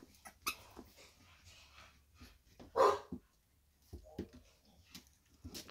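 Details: Four-week-old female Staffordshire Bull Terrier puppy, number 4 of Staffordland's 52nd litter, recorded 4 June 2023, lets out one short, loud yelping bark midway, surrounded by scratching, shuffling and clicking handling noises.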